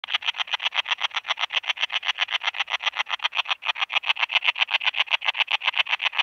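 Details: Common Slender Bush-cricket (Tessellana tessellata) singing in Freiburg, Germany, on 9 September 2021: a fast, steady train of short dry buzzy pulses, almost four per second, with one brief gap midway.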